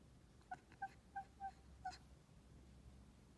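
A kitten gives a quick run of short, high chirps, five in under two seconds.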